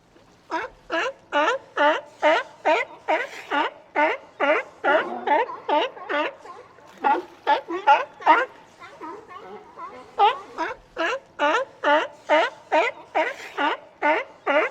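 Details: Sea lion barking in a long run of short, harsh, honking barks, about two to three per second. The barks pause briefly near the middle, then resume at the same steady pace.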